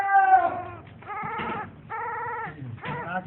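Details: Newly born puppy giving drawn-out, nasal whines, four bent and slightly falling cries separated by short pauses, with a low rumble underneath.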